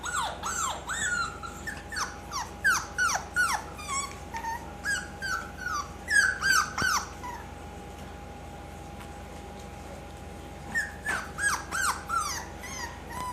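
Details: Indoors, several bulldog hybrid puppies keep up bursts of shrill, downward-sliding whimpers and yips, about three each second. There is a quieter pause midway, then the yelping resumes, over a constant low mechanical hum.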